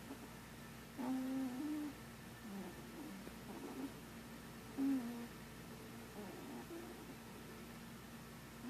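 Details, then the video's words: Sleeping cat Marshmallow dreams and snores, producing quiet, low humming murmurs in short wavering bursts, two of them louder and a few seconds apart, set against a steady faint room hum. "Marshmallow snoring and dreaming."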